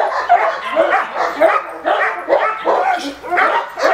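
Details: Male Cane Corso during attack training, giving a rapid run of harsh, broad barks roughly twice a second with short gaps, with human voices mixed in between the barks.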